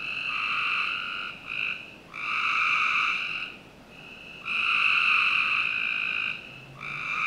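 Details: Several frogs trill in turn on a summer night in a backyard in Northern Virginia. Bursts lasting one to two seconds alternate with short pauses, and callers overlap at times.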